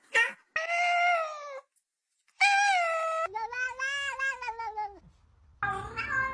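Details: Cats meowing in a funny compilation: long, steady, rich-toned meows lasting about a second each, separated by short silences, with a wavering final cry that starts abruptly.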